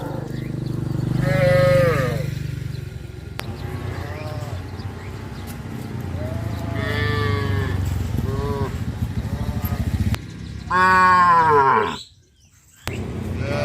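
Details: Village cattle, tame farm animals, heading out in the morning to a green grazing field. Several drawn-out lowing calls, each with a rise and fall, come at irregular gaps over a steady low rumble.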